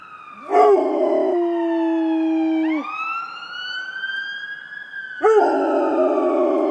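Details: Rottweiler howling at ambulance sirens; a steady dog howl runs for a couple of seconds and drops off, overlapped by a high rising wail of siren, with the dog's howl resuming at the end.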